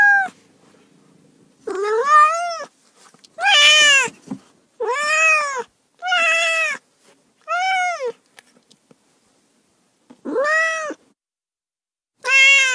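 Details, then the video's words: Cat meowing insistently: about eight clear, loud meows in quick succession, each a bright arched wail that swells and drops, separated by short silences, with nothing else audible. "HOW BEAUTIFUL THESE CATS ARE! | 30 minutes of Cats' Meow"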